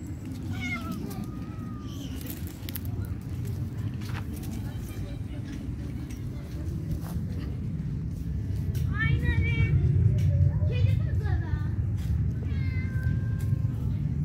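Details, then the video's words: Kittens quarrelling after being fed, giving short, strained, wavering meow-screams in scattered bursts, loudest near the end, over a steady low rumble and people talking nearby. "Kitten screaming constantly. I fed the cats. They quarreled."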